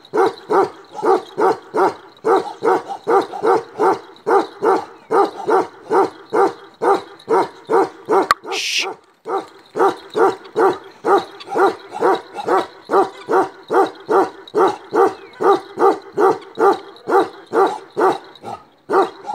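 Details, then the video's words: Black male Kashmiri Eksaya, a Himalayan livestock guardian dog breed known for ceaseless barking, gives a long unbroken run of loud, even barks about two per second, with one brief break near the middle. "KASHMIRI EKSAYA (CEASELESS BARKING) BREED. Livestock guardian dogs of Himalaya."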